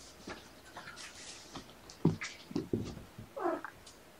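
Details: Kittens of Mama Seraphina's litter of four (three boys, one girl) playing indoors at Purrfect Pals on an afternoon, 16 November 2018; soft thumps and scuffles of play, then one short, wavering meow near the end.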